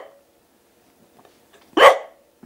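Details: A male longhaired dachshund named Milloup, begging his owner for food and trying to persuade him he is starving, gives one sharp, loud bark after near silence. Faint sounds open and close the moment.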